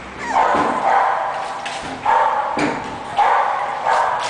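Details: Young English Bulldog yapping, with repeated short high barks roughly every half second to second, some slightly whiny at the start, over a steady low background hiss.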